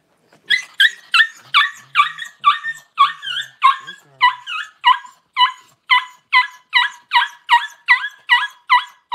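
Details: Newborn Cavalier King Charles Spaniel puppy, just whelped by its mother Paris at home around January 1, crying in a steady run of high, sharp squeals, roughly two or three a second, each with a bright stacked tone; no other sounds intrude.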